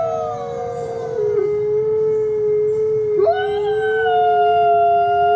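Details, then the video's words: Chorus of coyote howls, long sustained overlapping voices, one sliding down and then jumping sharply upward midway, the others holding steady, drawn-out tones throughout. "Beautiful Coyote sounds"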